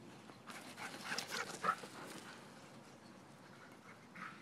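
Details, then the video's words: Playing dogs outside on a spring morning: quick breathy panting puffs, loudest in the first two seconds, then softer and fading. "Dogs playing on a spring morning"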